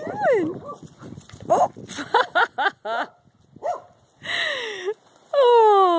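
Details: Two Great Danes, a three-year-old and an eight-week-old puppy, playing together for the first time; high sliding whines and squeaky yips, some with bright overtones, come in bursts with short pauses, and a woman's voice is heard in between.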